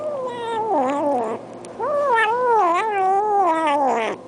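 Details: Cat yowling twice, each cry long, wavering and falling, the second longer with several rising swells before sliding down, a short pause between.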